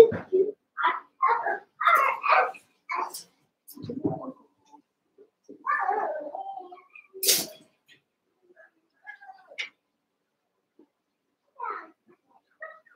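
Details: Cavalier King Charles Spaniel puppies, eight together in a barn pen, about seven weeks old, wrestling and playing: a run of short yelping barks and squeals in quick bursts, then scattered softer whines and a sharp noise.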